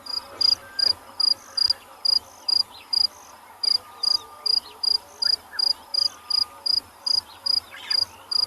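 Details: Crickets chirp steadily in short, high pulsed bursts, about two or three a second, with faint bird notes such as fork-tailed drongo and a low rumble behind, at sunrise on safari, 25 January 2022, rain approaching.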